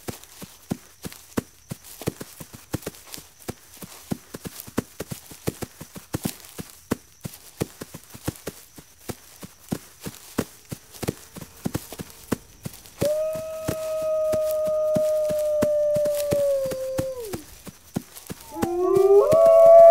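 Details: Steady sharp clicking fills the first stretch before a single wolf howl enters, a level sustained tone held for several seconds and then falling off, followed by a brief rising howl at the very end.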